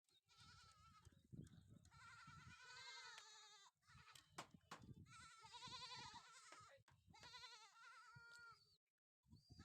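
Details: Sojat goats on a farm housing young bucks and pregnant does: several animals bleat in overlapping, wavering, nasal cries, one after another with barely a pause, with low thumps beneath.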